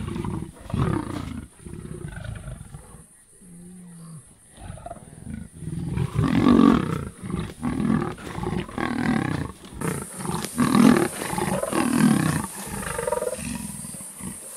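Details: Young lions from the Kambula pride catching and killing a male leopard at MalaMala Game Reserve; a series of rough, rapid snarls and grunting growls in irregular bursts, with a brief quiet stretch and a low hum midway.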